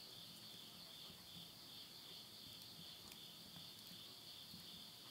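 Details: Insects calling at midnight at the end of summer in the Tottori countryside, Japan, September 2020: a steady, high, shimmering trill layered in two bands and faintly pulsing, with soft crackles of wood burning in a stove.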